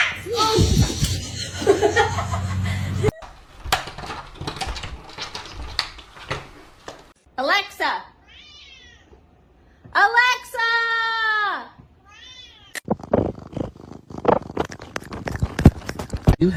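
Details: Domestic cats indoors in a small room: several short meows, then a longer drawn-out meow that rises and falls, heard between people talking, laughing and music.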